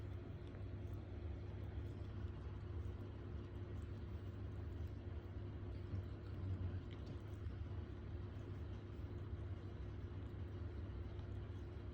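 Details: A steady low mechanical hum like a running engine continues throughout, with nothing else clear.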